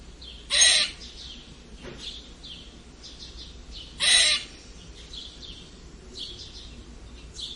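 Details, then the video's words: Strange squeaking from a red squirrel: a pair of raspy, noisy squeaks spaced about three and a half seconds apart over quiet background twitters and a low hum. "Eichhörnchen seltsames Quietschen !"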